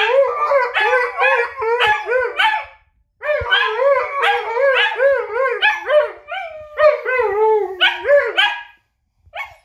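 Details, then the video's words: Husky in a howling conversation with a wolf: rapid wavering, yodel-like howls and short yips in quick bursts, a brief silence after three seconds, then more undulating howls before fading out. "Unterhaltung zwischen Husky und Wolf"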